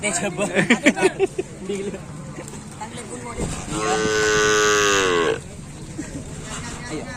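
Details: Cattle at a Karapan Sapi bull race for the 2022 President's and Mayor's Cup in Probolinggo, Java: after lively Indonesian chatter from people nearby, one drawn-out, steady, rich-toned moo lasts about one and a half seconds, then talk resumes.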